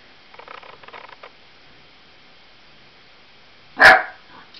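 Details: An 8-week-old Lab cross Australian Blue Heeler puppy, frightened of balloons, gives a single sharp, loud bark near the end, after soft scuffling and rustling indoors.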